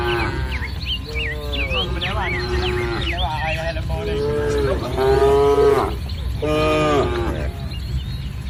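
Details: Village cattle herd among green rice fields on a sunny morning; a run of moos, long steady lows and shorter bellows overlapping, while birds chirp and twitter in the background.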